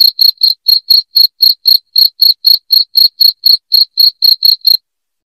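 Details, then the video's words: Piercing cricket chirps for driving rats from a house: a steady run of short, bright pulses near four per second that stops shortly before the end, leaving silence. No background noise. "SUARA JANGKRIK NYARING PENGUSIR TIKUS"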